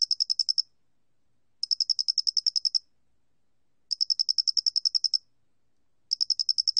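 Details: Chirping song of a Loxoblemmus doenitzi cricket, National Institute of Biological Resources, 2020. Sharp, shrill pulse bursts lasting about one second each, separated by gaps of over a second, with no other sounds.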